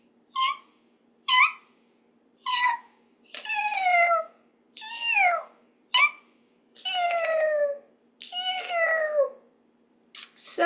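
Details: A caracal gives short high chirps and longer, harmonic, kitten-like meows that slide downward in pitch, sounding as if meowing and purring at once, sometimes with a chirp at the start.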